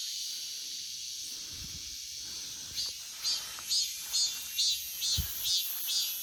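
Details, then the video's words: Cicada song in an August forest: a steady shrill high drone, then from about midway a regular series of buzzy pulses roughly twice per second, with faint low knocks underneath. "August Forest Full of Cicada Sounds 매미 소리 가득한 8월의 숲"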